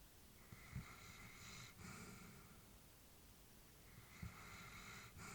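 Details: Sleeping old female Labrador Retriever at home, her quiet breaths coming as drawn-out airy rushes with small snorting clicks at the start of each, two breath cycles over low background hiss.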